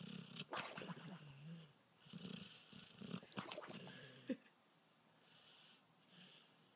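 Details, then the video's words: A dog whose allergies make him snore: several rough, wheezy breaths in quick bursts, ending with a short sharp snort, then a few seconds of quieter breathing. "Dog With Allergies Snoring!"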